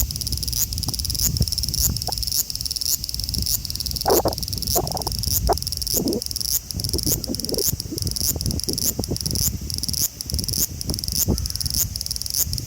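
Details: Male large brown cicada (Graptopsaltria nigrofuscata) in Osaka City, Japan, on 5 August 2019, recorded by phone; continuous harsh sizzling buzz with steady pulses, plus scattered clicks and rustling thuds in the lower range.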